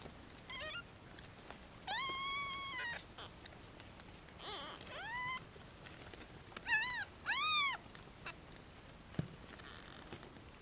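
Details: Newborn European shorthair kittens, one and a half days old, just weighed: a series of about six shrill mews, some rising then falling, spaced irregularly, with the loudest pair close together toward the end and soft rustling between.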